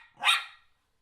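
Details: Single short, sharp, bright bark from an eight-month-old pet miniature schnauzer worked up over a ball, a toddler toy brought out at home; a clean burst with nothing else audible.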